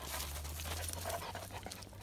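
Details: Skye, a Gordon Setter, during formal come-to-sit recall training, panting in quick breathy bursts that repeat steadily over a low constant hum.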